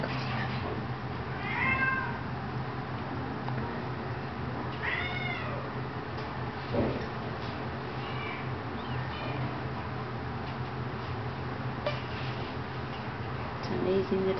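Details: Domestic kittens, 18 days old, mewing: thin, high, arched mews in short bursts near the start, middle and around eight seconds, with quieter squeaks between, over a steady low hum and faint room noise.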